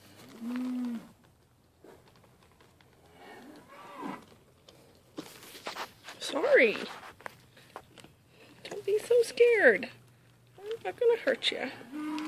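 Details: Maggie and Abbie, two Mini LaMancha goats from a sale barn being tamed and learning to eat from a hand, give short steady bleats and longer wavering, sliding calls, with a human voice talking between them.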